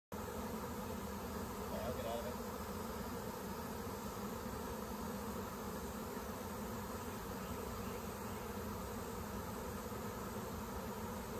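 A dense, steady drone of many honey bees buzzing together in a swarm.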